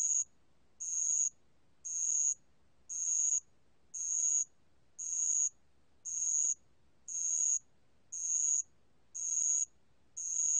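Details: A bell cricket sings in a 2020 National Institute of Biological Resources recording, giving eleven short, shrill, buzzy bursts at a steady one-per-second pace over a quiet background.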